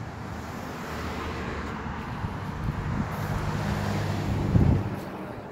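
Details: Outdoor road traffic rumble and wind, with a faint murmur of voices; no animal sound.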